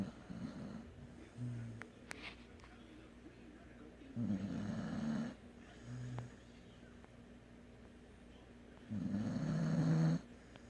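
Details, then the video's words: Asleep dog snoring in low, rough, buzzing breaths. Longer loud snores alternate with short softer ones, recurring every few seconds over a faint steady background hum. "Snoring dog"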